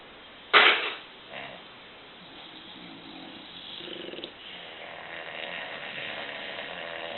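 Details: Four pet Bulldogs, Bubba, Arie, Stella and Chloe, sleep and snore on a Sunday morning: a sharp noisy snort opens, then rough, raspy snoring breaths build into a continuous buzzy snore over the last seconds.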